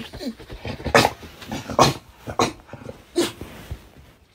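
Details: A Staffordshire Bull Terrier (Canis lupus familiaris) gives short, gruff grumbles and growls in uneven bursts about a second apart.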